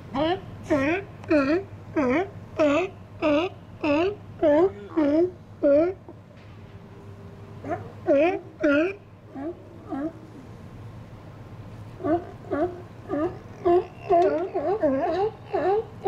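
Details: Resident Steller sea lions relaxing and chatting among themselves in an outer harbour on a sunny winter day, January 2012: a run of throaty, harmonic calls repeated about twice a second, a short pause, then more calls, over a low steady hum.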